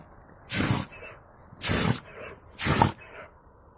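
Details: Buran, a mixed-breed Siberian guard dog, sneezing after snow got into his nose: three sharp, noisy bursts roughly one second apart, each lasting about a third of a second, with quiet between them.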